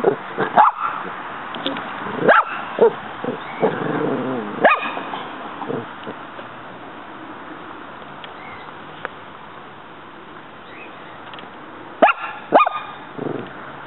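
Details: Muñeca, a female pet dog, confronting a praying mantis in a backyard; quick barks and yips cluster in the opening seconds, then a long lull of low background noise before another short barking burst near the end.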